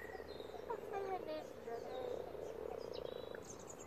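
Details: Mass spawning of common frogs in a pond, over a hundred animals producing a low, continuous purring croak chorus, overlaid by bright bird whistles and a brief voice-like sound near the start.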